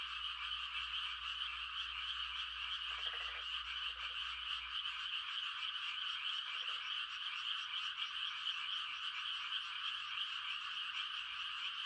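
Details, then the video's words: Frogs calling in a dense chorus on a quiet country night, as a mating call during rice-planting season: a steady, high, shimmering trill from many callers, with a few lower pulsed croaks standing out near the start and middle. "The sound of frogs on a quiet country night"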